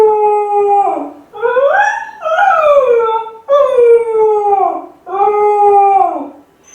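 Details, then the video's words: Kai Ken Ichi, lonely while left alone, howls loudly to call family home: a falling howl, then rising, bending yowls and two more long howls that sag downward at their ends. "甲斐犬の遠吠え！🙀】留守番犬の鳴き声 ！狼みたいだけど寂しい声に切なさも感じる"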